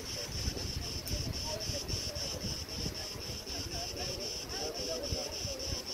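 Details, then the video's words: Crickets at Preveli Beach, Crete, in August 2020: a steady high pulsing trill with faint regular beats. Tree branches rustle in the wind, which adds a low rumble. "RELAXING sounds and MEDITATION sounds of crickets"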